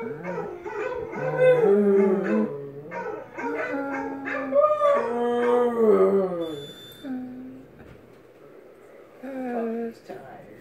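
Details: Basset Hound howling in long wavering tonal notes that rise and fall in a sing-song pattern, with quieter breaks and a final short howl.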